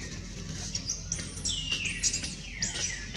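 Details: Small baby monkey Jody crying while his mother Jane moves in close and tries to save him: long, high, arching wails that rise and fall, several in a row over a low rumble of background noise.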